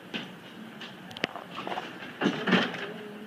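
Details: Indoor household noise of door or cupboard thumps and clatter over a steady low hum, with no animal voices.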